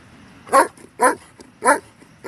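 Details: German Shepherd (Canis lupus familiaris), bark.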